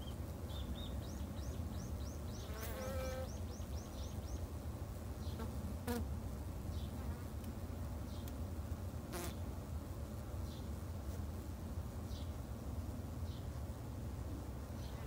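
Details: A beginner's backyard colony of Japanese honey bees hums low and steadily throughout, while a bird gives a rapid series of high chirps early on and occasional sharp ticks sound.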